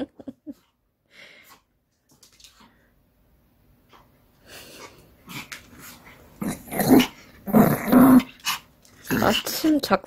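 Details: Pomeranian Kim Sarang growling during indoor ball play at home, a rough, gravelly rumble in loud bursts toward the end, mixed with a woman's speech and handling noise in a small room.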